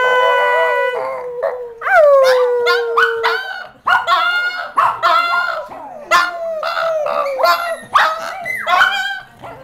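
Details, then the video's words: Brussels Griffon singing while four dogs play in a living room. It opens with a long, steady howled note, then a note that drops sharply in pitch, followed by quick, bouncing yelps and wavering howls. "the singing Brussels Griffon"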